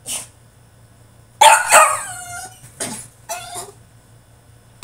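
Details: French Bulldog in his cage throwing a tantrum: a loud, sudden yelping whine that bends downward, followed by two shorter wavering whimpers and a final sharp yip; faint low hum throughout.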